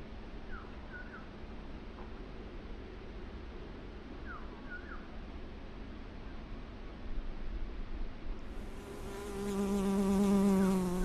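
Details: A Western honey bee gathering from flowers makes a steady, low droning wing buzz that swells in near the end over a soft background hum.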